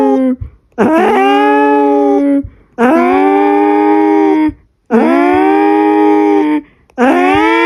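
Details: Domestic cat howling like an alarm indoors: a regular series of four sustained, rich-toned wails, each rising sharply at the start and then holding steady for about one and a half seconds, with short pauses between.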